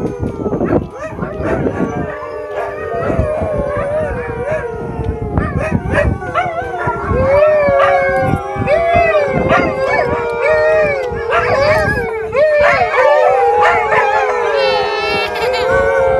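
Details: A group of Alaskan Malamutes at Eagle Heights in Kent, England join in a chorus of drawn-out, wavering howls that rise and fall over one another, with short woofs and yips breaking in between the longer notes.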